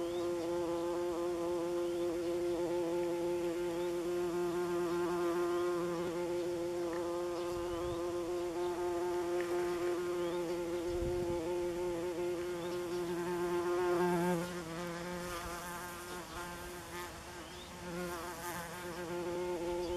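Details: Buff-tailed bumblebees (Bombus terrestris) at their nest in Northern Germany, 27 June 2015, flying orientation loops above it: a continuous, deep, buzzing drone with strong overtones, swelling and fading slightly as the bees circle, with faint outdoor background.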